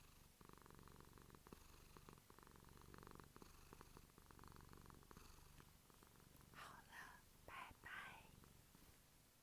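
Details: Quiet, steady purring of a house cat, a soft low rumble in long phases; toward the end a few whispery breathy sounds rise over it.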